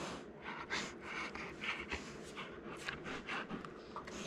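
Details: A male Golden Retriever pants and snorts in quick, breathy bursts, growing more excited as gentle play-mouthing escalates.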